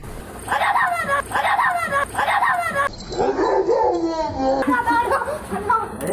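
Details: Roger, a pet Doberman, at home while a visiting kid plays a game with him: a run of short, harmonic barks or yips about every 0.6 seconds, overlapped by human voices in a room.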